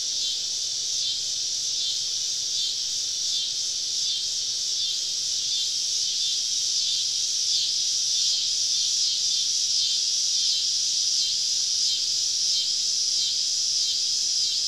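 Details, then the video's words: Southern summer evening chorus of cicadas deep in the woods, a constant loud high buzz with rhythmic pulsing swells repeated about three times a second. "Southern Evening Summer Cicada Symphony"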